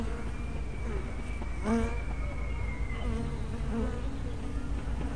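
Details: Hive entrance of honey bees, recorded by a tiny spy camera: steady swarm hum with a thin sustained whine and one close bee zooming past in a sharp swelling buzz.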